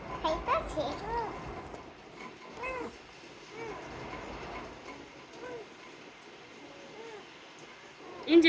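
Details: Tiny rescued kitten, recently abandoned in garbage and eyes newly opened, repeats thin, short meows roughly once a second while people talk nearby.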